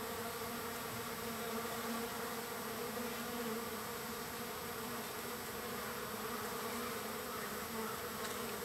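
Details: Crowd of wild bees on day three of being fed, with a constant, even, low humming drone from many wings at once, holding steady throughout without pauses.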